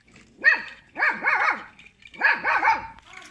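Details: A small pet dog barking at people, giving loud high yapping barks in two clusters of about three rapid barks each, roughly a second apart, in a quiet room.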